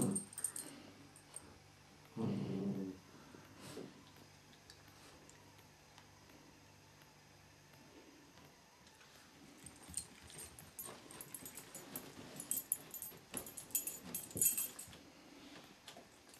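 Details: Tug-of-war play between Ben and Faye, a Border Collie and a Whippet; one deep, brief growl early on, followed by long stretches of rustling, scraping and clattering movement noises as the dogs tussle.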